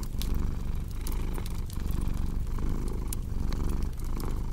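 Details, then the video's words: Rumbling cat purr with a breathing rhythm near one cycle per second, partly mixed with dense snapping and popping from a crackling fireplace. "Purring Cat with Cozy Crackling Fireplace Sound"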